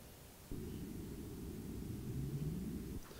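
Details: A North Atlantic right whale gives its contact call, a short, low, fairly simple tonal call sweeping upward, which these whales use to counter-call to each other.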